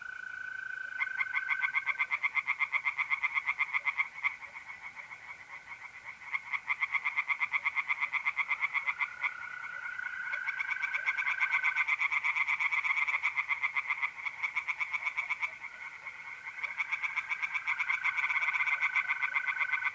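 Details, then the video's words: On an April night in north-east Italy, pond tree frogs keep up a long, rapid, rattling series of pulsed calls in overlapping bouts. Mole crickets add a smooth, steady trill now and then. "relaxing singing tree frogs in pond"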